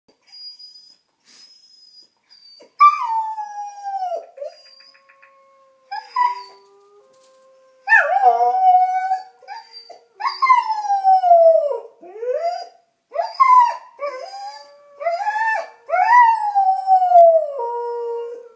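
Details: A German Shepherd Collie mix dog, thought by its owners to be part wolf, howls in long, wavering, falling notes again and again in response to recorded wolf howls.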